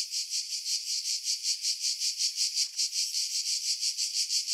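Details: Cicadas in Skiros, Greece, July 2018, singing from pines over Pefkos Bay; an intense high-pitched whirring that beats in regular pulses close to three each second. Sony RX3 with external mic, low wind rumble filtered away.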